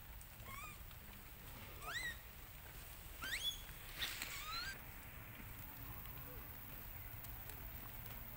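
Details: Lucie, a baby monkey, cries loudly after her mother rejects her for milk: a run of high, arching, whistle-like wails about every second, tapering to quieter calls, over a constant background hiss.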